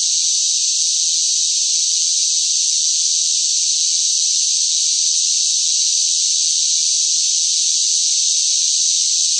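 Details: Cicadas in the heat of a hot summer, a noisy chorus forming one continuous shrill drone, level and unvarying from start to finish, nothing else audible.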